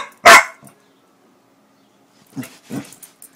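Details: A female Pitbull-Corgi mix confronts whipped cream, giving two short, gruff barks after a sharp spraying hiss.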